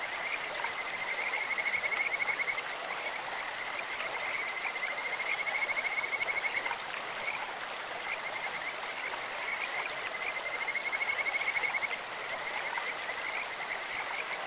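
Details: In a clear mountain stream, a Kajika frog gives three bouts of rapid, bird-like whistled trills, each lasting over a second and spaced about four seconds apart. Constant babbling water fills the background.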